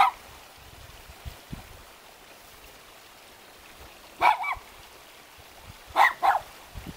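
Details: Dogs keeping watch at a mountain house near Jeonju, Korea; after a long quiet stretch come a few short barks, some in quick doubled pairs, against a soft rushing background like running water.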